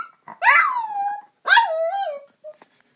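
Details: Two long, sliding howls from a young pet dog, about a year and a half old. It howls when its owner calls the household's other dog or talks loudly. Each wail rises briefly, then falls and wavers, with a short pause between them.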